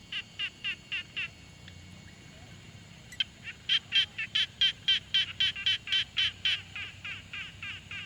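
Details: Frog calling at a quiet pond, field-recorded on a Tascam Portacapture X6: short, raspy, pulsed notes repeated steadily about four times per second, a brief softer series, a pause, then a longer, louder bout over faint low background hum.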